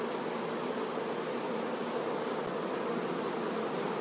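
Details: Honey bees, workers caring for the queen, produce an unbroken, even hive hum with a strong mid-low drone and a hissy wash above it.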